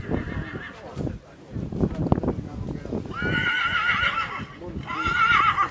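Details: Polish PKZ breed stallion born 2019 whinnying: harmonic wavering calls around 3.2–4.6 s and again near 5 s, over a noisy background of footsteps, clattering and voices.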